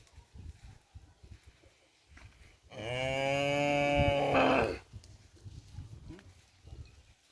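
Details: Cattle in a pen holding breeding stock for kerapan sapi bull racing, Sapudi Island, Indonesia; one loud, drawn-out moo lasting about two seconds, rich and harmonic, slightly rising then steady, with quiet background murmur before and after.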